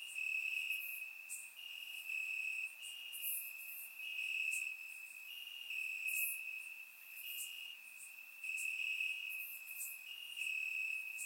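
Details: Crickets chirping at night in grass in Bulgaria during a warm summer, surround microphone: shrill continuous trilling with rhythmic louder pulses near every second and a half, other crickets adding high chirps behind.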